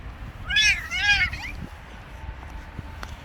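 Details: Street cat, a male pressing himself on a female, gives two loud arched meows in quick succession around the middle second, rich in harmonics, followed by a softer trailing cry; faint outdoor background noise.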